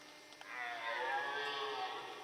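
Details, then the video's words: Rutting red deer in the Jura's Forêt de Chaux near Dole, France, with male fights and hinds about: a single harsh, harmonic roar rises quickly and holds for nearly two seconds before tailing off. "Brame du cerf en forêt de Chaux"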